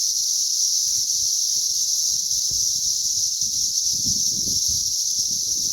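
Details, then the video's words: Mass cicada hatch on May 20th, 2034: many insects produce a continuous shrill whirring drone at constant loudness, with soft low rumbles and rustles underneath. "ATTACK OF THE CICADAS"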